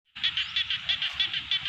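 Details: Frogs calling in a rice field in Thailand: a dense chorus of rapid, pulsed croaking notes repeated about five times a second, steady and loud throughout with no other clear sounds.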